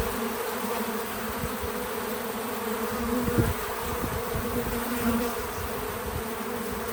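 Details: Bees at a feeder on a small farm outdoors, a continuous steady buzz, with brief louder passes near three and five seconds as insects fly past close by.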